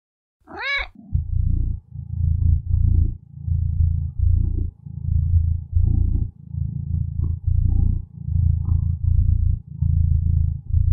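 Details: A contented domestic cat purring steadily: low rumbling bursts in alternating in-and-out breaths, roughly two per second, opening with a short rising meow-like chirp before the rhythmic purr takes over.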